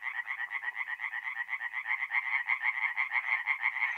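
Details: Singing tree frogs at a forest pond in north-east Italy on a mid-April night: a close frog gives evenly spaced, rasping croaks about twice per second over a softer background chorus.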